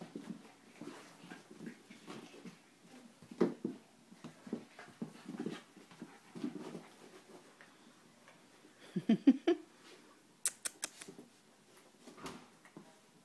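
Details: Wrestling schnauzer and Italian greyhound, with short grumbling growls and snorts in scattered bursts, a louder scuffle near nine seconds followed by sharp clattering knocks, then quieter panting.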